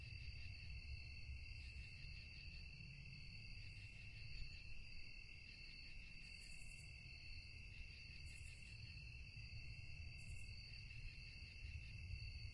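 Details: Night-time crickets keep up a continuous shrill, pulsing trill in layered high bands, joined by a few brief, higher hissing bursts near the middle and later, all above a constant low background rumble.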